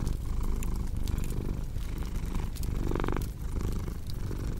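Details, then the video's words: Close, deep cat purr, a buzzing low rumble with a louder rough surge near the end of an exhale, while a fire crackles and pops in the background. "Purring Cat"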